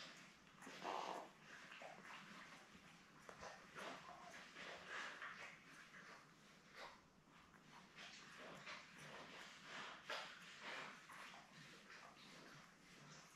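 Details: Belle, a Labrador Retriever mother, with her seven puppies born May 24, 2021, on a live puppy cam on June 4: a continuous stream of small whimpers, squeaks and snuffling noises, rising and falling in loudness.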